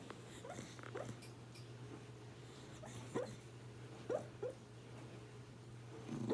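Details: Dog making dream sounds in its sleep: soft, short whimpers and muffled yips spaced a second or so apart, some rising in pitch, over a steady low hum in a quiet indoor room.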